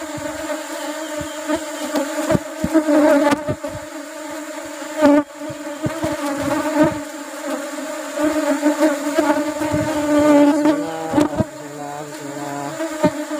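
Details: Honey harvest from an Apis cerana colony in the rubber tree flowering season; a loud, unbroken buzzing hum with rich harmonics, frequent clicks and thuds, and a brief run of wavering tones near the end.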